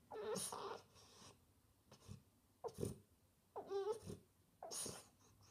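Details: French Bulldog wanting attention indoors: breathy snorts and short grunts, with one brief warbling whine near the middle, in a quiet small room.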